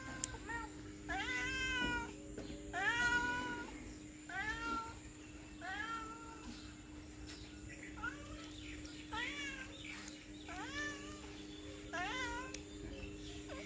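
A domestic cat meows repeatedly, each call a rising then falling wail with rich harmonics.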